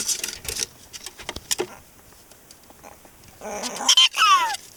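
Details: Pet prairie dog named Sumomo calling repeatedly as her neck is stroked after her owner comes home; bursts of high squeaky chirps, with a bright descending whistled squeal near the end, amid clattering and handling noises in a small room.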